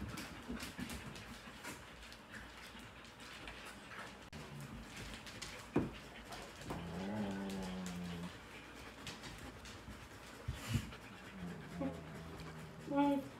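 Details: A Shepsky puppy picking at the other dogs indoors makes odd whiny, groaning vocalizations with wavering harmonic tones amid indoor background noise; finding: Shepsky dog.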